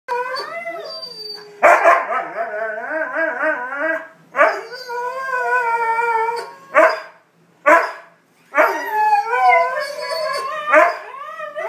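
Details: Siberian huskies, one male with three females in heat, in a mating chant: wavering, sliding howls and yodel-like cries with rich harmonics, broken by short sharp barks and brief pauses.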